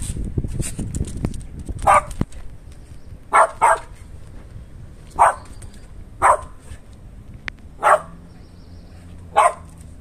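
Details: West Highland White Terrier indoors barking at a hidden smell coming out of an air vent; sharp single barks spaced irregularly, about one every one to two seconds, with a close pair near the middle, over quiet room background.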